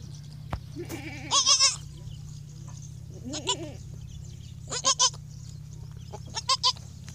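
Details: Newborn goat kid on its first day of life on a dairy goat farm, giving short, wavering, nasal bleats in four separate bursts, some rising then falling, over a steady low mechanical hum.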